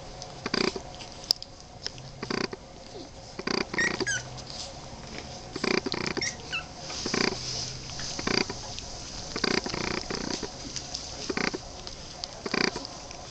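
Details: Twenty-three-day-old Boston Terrier puppies making a long run of brief, husky growling grunts, irregular and frequent, some coming in quick pairs, with faint squeaks between.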